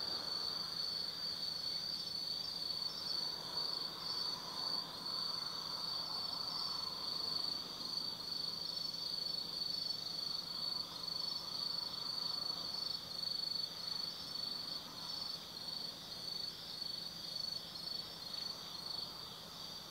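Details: Autumn insect chorus at night in Tsukimi Forest, Gifu Prefecture, Japan: layered high trills, one steady and another pulsing rapidly, over a faint low hum and soft broadband murmur.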